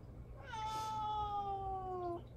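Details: A single long, steady meow slowly sinking in pitch from pet cat Mame Daifuku, calling for attention from an owner who is ignoring it, over low indoor hum.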